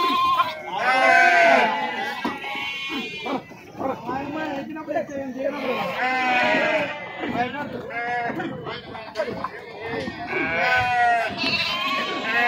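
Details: Sheep being unloaded at the Pebbair sheep and goats market: wavering, quavering bleats from several animals overlap in bursts near the start, middle and end, with people talking loudly throughout.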